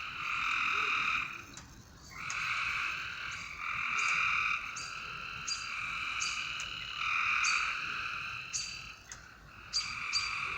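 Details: Frogs at night in a loud overlapping chorus of long, even, buzzy trills, each lasting one to two seconds and pausing briefly before the next, with sharp high clicks dotted throughout.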